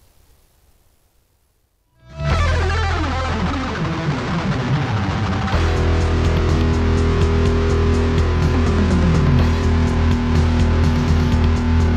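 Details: After two seconds of near silence, loud distorted electric guitar music with steady heavy bass and fast driving rhythm fills the rest.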